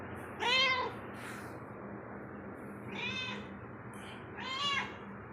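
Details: Domestic cat roaming inside a home, giving three separate meows spaced a couple of seconds apart, each a short rising-then-falling harmonic cry, over a low steady indoor hum.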